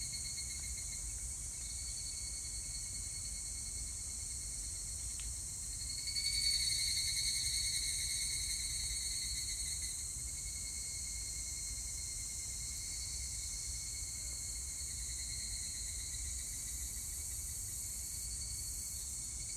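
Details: Evening cicada song from 25 July 2019: a steady shrill drone of several insects, with a nearer, pulsed buzzing burst of roughly four seconds that swells and then tails off into the chorus.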